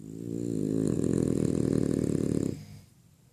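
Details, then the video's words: French Bulldog Freddy asleep, giving one sustained raspy snore lasting about two and a half seconds, a dense low vibrating rattle that fades out abruptly into quiet room tone. "Freddy roncando."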